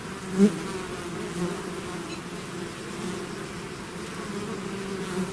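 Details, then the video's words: Swarming bees leaving their hive produce a low, even hum of layered buzzing tones, with one brief louder buzz near the start as a bee passes close, then a steady drone throughout. "bees therapy swarm natural buzzing sound"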